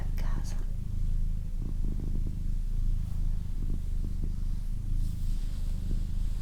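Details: Pet cat, a female, gives a thick, even low purr in repeating segments of about one second, with short gaps between; faint hushed whispering and light rustles sit in the background.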